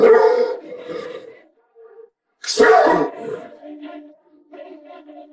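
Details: Angry Doberman dog giving two loud, harsh barking bursts about two seconds apart, separated by quieter whining and grumbling sounds that trail off between them.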